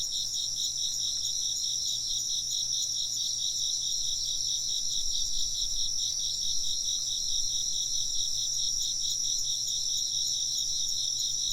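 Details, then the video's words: Massed insect chirping, high and constant, made of a rapidly pulsing trill layered under sustained piercing tones. The level stays level throughout, with only a soft low rumble beneath. "風鈴の音と虫の声 - wind chimes and chirping insects"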